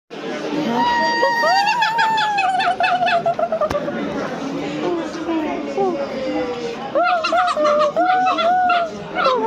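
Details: Silvery gibbon calling: drawn-out tonal whoops near one pitch, some sliding upward, then a burst of quick arched notes, a pause, and another run of rising hoots; constant background murmur.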